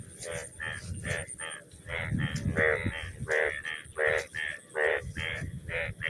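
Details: Frog croaking in a crop field after rain: a regular series of short, harsh, nasal croaks, about two each second, each with layered overtones, over a low rumbling background.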